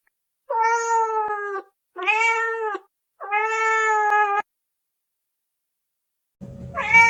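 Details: Three clear, level meows from a kitten in quick succession, then silence before a fourth rising meow begins amid a burst of noise.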